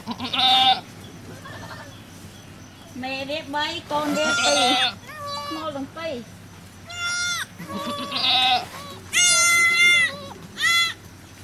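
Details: Goats at a cow farm as a baby goat is born: a series of high, quavering bleats, some long and bending, repeated every second or two between quieter stretches, with a little human voice.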